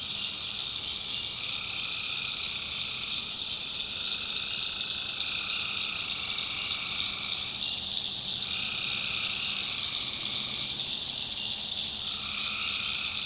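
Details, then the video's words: Tree frogs calling at night in the backwoods swamp of North Carolina: a dense, unbroken chorus of high trilling voices stacked in several bands, with overlapping callers swelling and fading every few seconds and fainter lower croaks beneath. "Relaxing Swamp Sounds at Night - Frog Heaven - Frogs, Crickets, Forest Nature Sounds"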